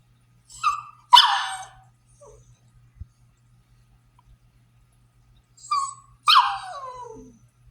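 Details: A French Bulldog, kept indoors for slipping through the fence to the neighbour's horses, gives two whiny, yodelling barks that break and slide downward, protesting to go out while the kids play outside.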